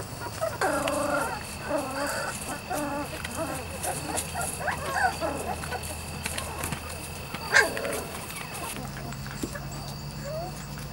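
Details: ["Weimaraner and Weimaraner x Vizsla pups aged 3-4 weeks, Biscuit's litter: repeated tonal whimpers and wavering cries in the first half, fading into quieter scattered squeaks and a steady low hum."]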